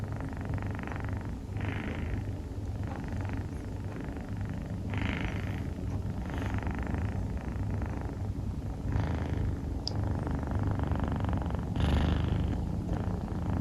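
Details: Snoring of Rufu, a sleeping female Scottish Fold kitten with dilute calico coloring, as a continuous deep purr-like rumble with airy breath bursts about every second or so; indoor quiet otherwise.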